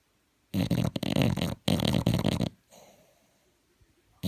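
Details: Sleeping bulldog snoring loudly: two long, rattling, throaty snores in quick succession, each about a second, with a brief gap between, followed by a softer wheezy exhale and near silence.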